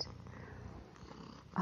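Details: Male house cat staying as a guest in a home with dogs and children, purring while eating indoors; a low, steady rumbling purr, ending in a short sharp click.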